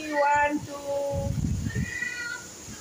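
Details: Domestic cat giving a short, clear, tonal meow followed by a softer drawn-out mew, answering a person who coaxes it and counts aloud in Bengali; human voice talking around the calls indoors.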